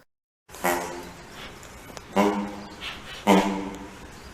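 A sloth bear gives three harsh, moaning calls with a rough, throaty edge, spaced about a second apart.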